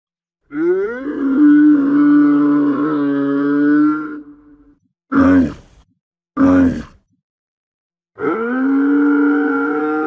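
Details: Camel giving deep, guttural, harmonically rich groaning grunts: one long drawn-out groan lasting nearly four seconds, two short sharp bursts, then another sustained groan starting near the end. No other sounds.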